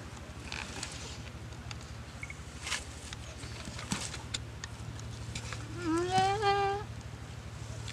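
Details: Goat being attacked and eaten alive by a Komodo dragon in a dry river at Komodo Village, paralysed after the lizard's bite; one wavering, harmonic bleat rises and falls near the end over a steady low hum and scattered rustling.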